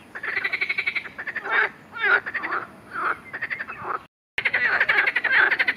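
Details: Marsh frog, recorded alongside an account of a grass snake attack, producing fast pulsed rattles and deeper, buzzy croaks in quick succession, with a short gap before the loud pulsing chorus resumes.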